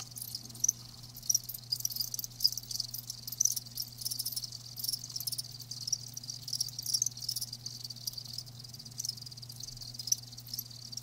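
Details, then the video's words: Crickets heard live, softer and denser here: a continuous high shimmering chirr with scattered brighter chirps standing out, over a constant low electrical hum. "Live Crickets 60min "Natural Sound""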